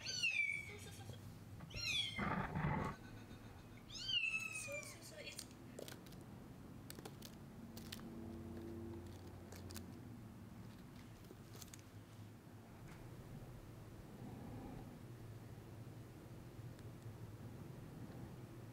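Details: Laptop playback of a meowing kitten while Chai, a Siamese-tabby kitten, circles and searches. Three quick, high, falling meows at the start, then scattered taps and clicks in a quiet room.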